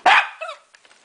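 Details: A single short, loud bark from Enzo, a pet dog answering the command "speak", followed at once by a person's praising voice.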